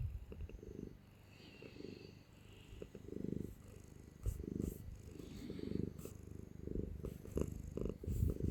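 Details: Affectionate cat held in arms, purring loudly in low pulsing waves that rise and fall with its breathing, with a few soft clicks and rustles of handling.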